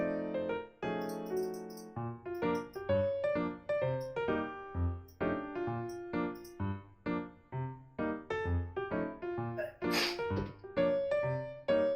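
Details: Bouncy piano music plays throughout, with one short sneeze-like burst near the end and no animal voice.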